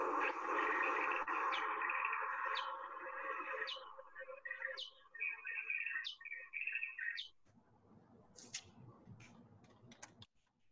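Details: Big brown bat echolocation calls from the Lake Tahoe Basin: quick downward-sweeping chirps repeated about once a second over a steady hiss.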